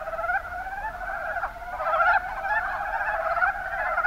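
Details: Mountain brown frogs in the Kuma Basin of Kumamoto, Japan, giving overlapping gobbling, clucking croaks in a busy chorus with a louder burst partway through.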